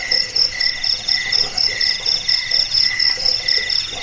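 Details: Cricket chirp recording for rat repelling and bird tutoring: crisp bursts of high, ringing pulses, about two per second, each bright and clean against a quiet background.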